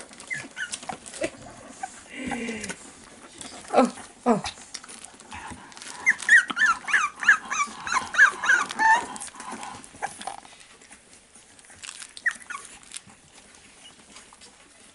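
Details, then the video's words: Four-week-old fawn Staffordshire Bull Terrier puppies with their mother, recorded 11 November 2018; a dense run of squeaky rising whimpers and yips in the middle, then quieter, with human speech around. "Maman et ses petits staffies"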